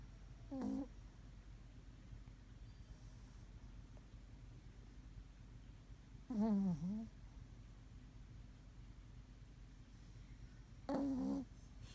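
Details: Maron, a Pomeranian, asleep and snoring: three short whistly nasal tones, each dipping then levelling, spaced about four to five seconds apart in a quiet indoor room.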